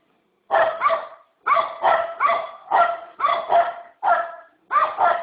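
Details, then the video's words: Barking dog giving paired sharp barks in bursts separated by short silences, about eight barks in five seconds. "Dog barking"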